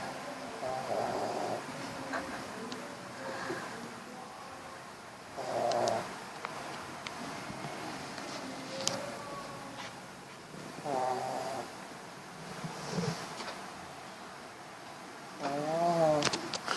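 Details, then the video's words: Dog snoring while asleep: breathy bursts come roughly every five seconds, some carrying a faint whining, tonal edge, with quiet stretches between breaths. "Snoring dog"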